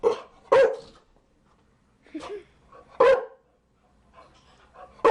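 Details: Chow Chow barking in short, sharp single barks spaced irregularly, two close together at the start, then isolated barks about a second apart, with quiet gaps and faint low noises between them.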